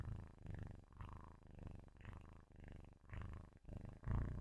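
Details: Loud purring from a sleeping kitten held near the mic, a low, grainy rumble pulsing with each breath in and out, roughly two cycles per second, slightly uneven.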